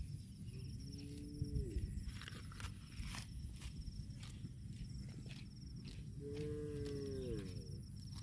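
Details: Cattle while eating grass: two drawn-out moos, each about a second long, held steady and then dropping at the end, one early and one near the close, over constant low rumbling background noise and scattered clicks.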